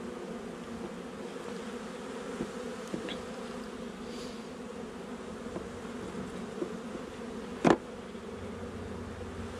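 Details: Colony hum of honey bees at a hive inspection on 8 July 2020, in a nuc installed just over a month before; even droning buzz with a few soft taps and one sharp knock near the end.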